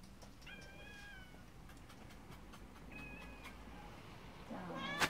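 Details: Domestic cat giving two drawn-out, steady harmonic meows, the first about a second long and the second shorter, over a low background hum, with a louder burst of noise at the very end.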